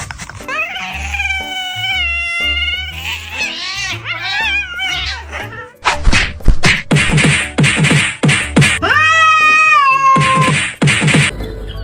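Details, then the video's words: Domestic cat making strange noises after its owner asks whether it is hoping for food and offers more. Several drawn-out, wavering meows, some rising then falling, mixed with loud background music and percussive beats. "Strange cat noises"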